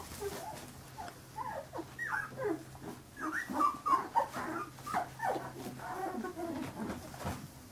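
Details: Several 15-day-old Carolina Dog puppies squealing and whining together, short wavering cries sliding up and down in quick succession, a louder cluster of yelps midway, over a low steady hum.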